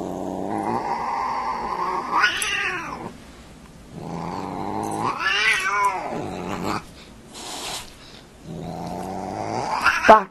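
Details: Cat caterwauling indoors: three long wavering yowls, each rising to a strained peak and falling back, separated by short pauses, with a brief hiss-like noise burst between the second and third cries.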